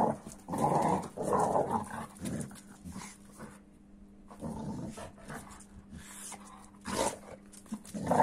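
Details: American Staffordshire Terrier reacting to a 15-week-old Kuvasz puppy. Rough, throaty grumbling bursts come in several spaced runs, with quieter gaps between them and a faint steady hum underneath.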